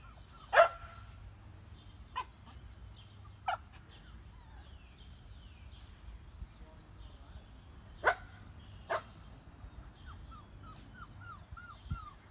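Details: Shetland Sheepdog puppies at play outdoors, several short sharp barks scattered at uneven intervals, with faint high chirps near the end and a constant low rumble behind.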